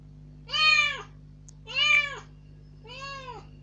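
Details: Young rescued cat, newly let out from its cage into a room, voicing a plaintive demand to go outdoors. Three loud, rising-then-falling meows about a second apart, the last one softer.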